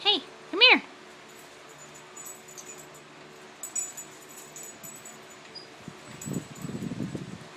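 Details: Puppy playing rough with an older dog named Teddy indoors; two sharp high yelps in the first second, then quiet, and a low growly scuffle near the end while a person talks.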